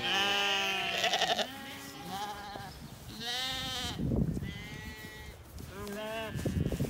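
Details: Ewes and lambs grazing together in a spring apple orchard in bloom in County Kilkenny, Ireland, calling to each other: a string of wavering, nasal bleats of varied pitch, one every second or two, some overlapping.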